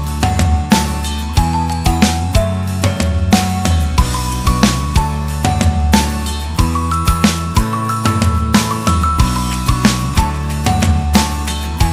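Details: Upbeat instrumental music with steady percussion, bass and bright melodic notes throughout; no animal sound is heard.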